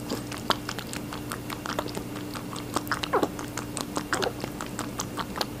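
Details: Rabbit chewing watermelon, rapid moist crunching and nibbling clicks in quick irregular bursts, a few squelchy juicy bites near the middle, steady low hum underneath in a small room.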